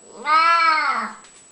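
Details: Old, unwell domestic cat that liked to come around and chat, giving a single long, drawn-out meow that rises then slowly falls, rich in harmonics, indoors in a quiet room.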